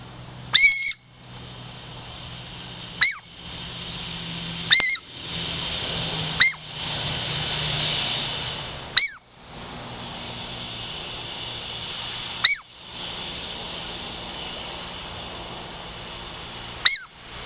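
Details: Approaching for a treat, Girl Squirrel, a Puget Sound lowland Douglas squirrel, repeats short shrill descending whistles about eight times at irregular gaps, over a soft rushing hiss that swells midway.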